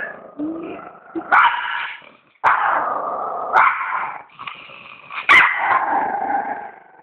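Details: A dog gives several drawn-out, tonal growl-whines. Each opens with a sharp burst and tapers down, separated by short gaps and occasional lower mutters.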